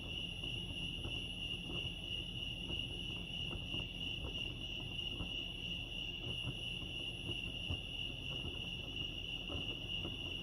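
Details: Lake Arrowhead, California, crickets: one sustained piercing trill at a fixed pitch, unchanging from start to end, with faint overtones above and low murmuring background noise with light taps.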